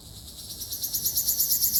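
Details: Ryukyu large brown cicada singing on Okinawa Island, Japan, 17 June 2026: a shrill, buzzy, high-pitched pulsing that grows steadily louder, with pulses coming several times per second.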